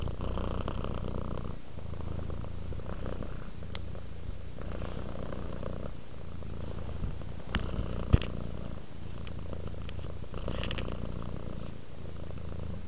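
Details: Purring cat Rudolph relaxing indoors: low rhythmic rumble alternating between quieter and louder phases roughly every one to two seconds, with a few faint clicks and a sharp tap partway through.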